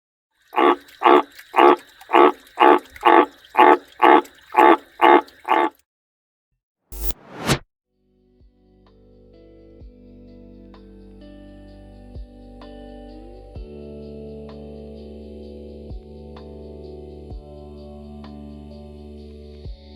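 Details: A transient male green tree frog with fight gashes puffs up to sing while other frogs call, giving loud, rasping croaks about twice a second at night late in the season; calling stops, sharp knocks follow, then soft music with light percussion.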